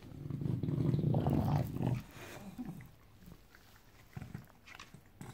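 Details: Bulldog on a Saturday morning, a deep rumbling growl held for about two seconds, then quieter scattered low grunts and knocks.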